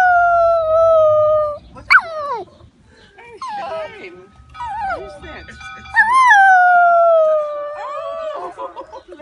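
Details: Brown male poodle in Stanford singing along with church bells, beside a woman; long sustained howled notes that slide and waver, a high yelp near two seconds, steady bell tones ringing underneath.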